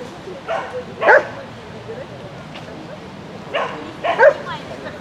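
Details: Agility run by the sheltie Lesya, spring 2016: two clusters of higher, yelping barks about three seconds apart, each a quick double yip, with faint human voices around them.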